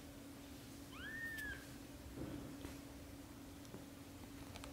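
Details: One British Shorthair kitten from a litter of four, filmed during its first 30 days, gives a single clear, high arched mew that rises then drifts down, followed by soft rustles and a steady low hum indoors.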